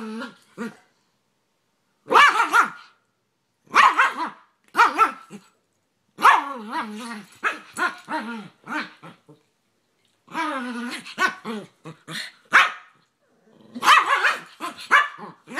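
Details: Rat Terrier and American Staffordshire Terrier/Pit Bull play fighting; bursts of sharp barks and growly yips in clusters separated by short silences, with a few drawn-out whining barks.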